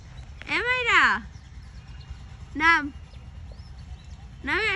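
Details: A cat up high in a tree meows three times: a long arched meow first, a short one near the middle, then another starting at the end, with quiet outdoor noise between calls.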